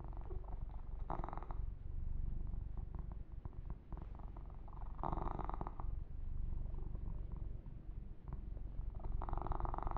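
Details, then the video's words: Massaged kitten keeps up a low, regular purr, about four pulses a second, while three louder swishing bursts of fur stroking cut in and out. "Kitten Massage - Perfect Sleep Helper Ear to Ear Purring"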